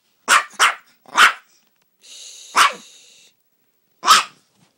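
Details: Male Yorkshire Terrier pet barking after being scolded: three quick sharp barks in a row, a pause with a brief hiss, then two more spaced single barks, each bright and broadband.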